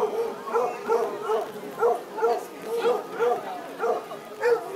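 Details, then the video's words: Contest Basset Hounds baying at a park in Woodburn, Oregon, rainy Sunday, July 2011. Rhythmic, throaty bays come about twice each second, roughly ten in a row, several dogs overlapping. "Contest for Best Howl"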